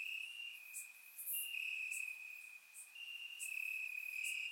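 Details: On a warm summer night in Bulgaria, crickets in the grass produce an unbroken shrill trill, joined by quick scattered higher chirps; recorded through a surround microphone.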